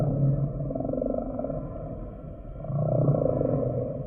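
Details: Humpback whale song: low, rough pulsed groans swelling, fading, then swelling again over a continuous underwater background hiss.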